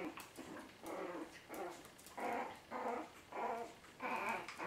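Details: Chihuahua puppies, the 2012 litter of Mia and Bacardi, whimper in a run of about seven high, whining squeals in under five seconds, each burst strained and harmonic-rich, with brief quiet gaps between.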